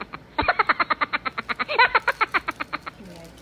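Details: A Siamese cat, female, playing with her cat toy, makes a quick chattering series of clipped, nasal chirps, about six or seven each second, for a couple of seconds; a faint human voice follows.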